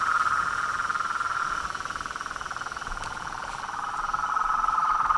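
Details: Frogs and toads calling together: dense, fast pulsing trill forming a steady rattling chorus that dips slightly in loudness midway before swelling again.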